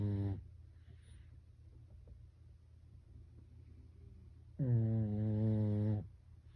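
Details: Household Pekingese snoring in its sleep, sounding like a person: the tail of one snore, a four-second quiet pause, then another low, droning, buzzy snore lasting about one and a half seconds, in a quiet room.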